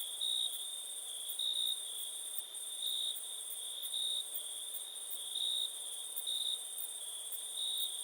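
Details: Cricket trill, steady and very high, punctuated by louder chirp-like swells about once a second over eight seconds; a brief dip in level near the middle.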